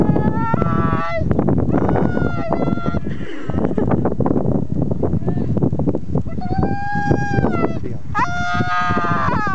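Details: Siberian husky dog pining while its owners go skiing, filmed outdoors on a ski trip: long harmonic howls, some rising then falling, others held level, repeated across the clip, with a person's speech and outdoor noise underneath.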